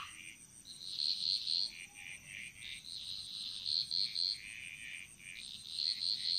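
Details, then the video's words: Frogs singing in chorus in a Bali jungle: short, bright paired notes and clipped pulses repeat at irregular intervals, with a steady high insect whine underneath throughout. "Frog Mantras - Relaxing Sounds Of Bali"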